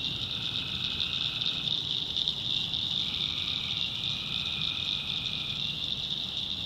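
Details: Tree frogs in a North Carolina backwoods swamp at night make a pulsing, high-pitched chorus that never stops, with a couple of softer, longer trills drifting in and out beneath it.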